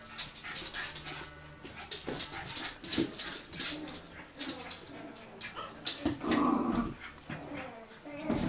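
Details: Bichon Frise dogs, the pets Blanca, Teddy, Hope and Pretty, giving a busy run of short whimpers and low growling noises, with human voices talking over much of the sound.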